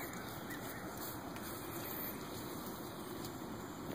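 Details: Steady broadband rushing noise like an engine or water, with faint constant high tones and no animal voice.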